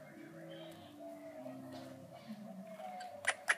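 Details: Brussels Griffon puppies indoors, giving thin, wavering squeaky whines that slide up and down in overlapping tones, with two sharp clicks near the end.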